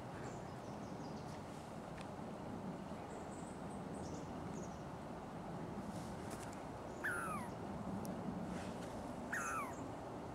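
Douglas squirrel giving two sharp, downward-slurred alarm calls over a steady rushing background.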